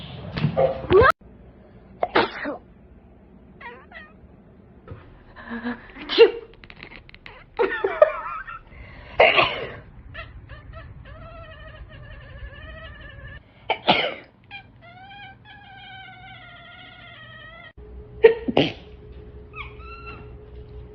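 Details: Cats reacting to their owners sneezing: sharp human sneezes and coughs break out, followed by a run of short, repeated meow-like calls with a clear rising and falling tone.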